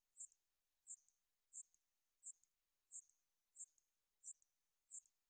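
A katydid sings high, dry buzzy chirps, each a quick burst repeated about every two-thirds of a second.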